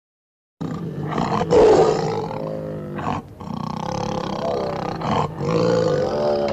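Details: Tiger (Panthera tigris), roar.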